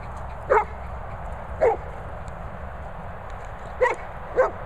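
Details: Golden retriever 'talking': four short, yelping moans, each under half a second, scattered across a few seconds, with quiet pauses between them and faint background hiss.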